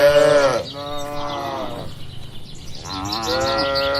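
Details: Tame barn cattle give two long, deep moos, the second sliding downward, then a third steadier moo after a short quiet gap, with faint bird chirps in the background.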